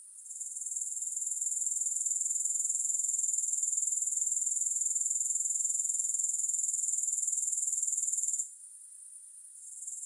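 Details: High, steady shimmer of grasshoppers for relaxation, without music, finely pulsed and unchanging for most of the stretch, then dropping sharply to a much quieter hiss near the end.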